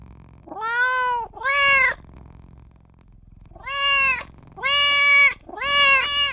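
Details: Newborn kitten calling for its mother and owner with loud, plaintive, bright meows. Two come close together, then three more after a silent gap, each bending up and then down in pitch.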